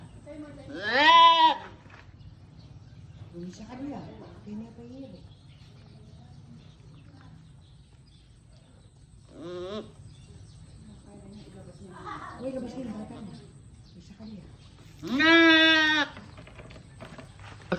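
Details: Goat bleating around a kidding, single newborn male kid present; two loud quavering harmonic bleats about fourteen seconds apart, a few fainter short bleats between, over a quiet steady background hum.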